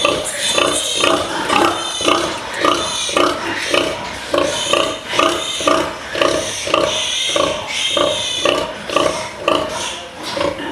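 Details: Inside a farrowing pen, pigs keep up rapid pulsed grunting, roughly two per second, overlaid by shrill rising and falling squeals that come and go.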